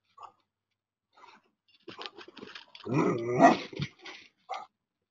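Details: Anatolian Shepherd protecting goats from a coyote: scattered short huffs build into a deep, rough, growling vocal burst near the middle, ending with a few brief sharp sounds.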